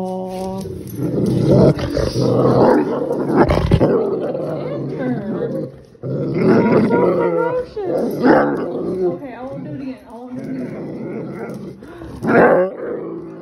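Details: Great Pyrenees named Pepper, indoors and unwilling to play catch, lets out a long run of deep growls, grumbles and harsh barks in uneven bursts with brief pauses, while people talk and background music plays.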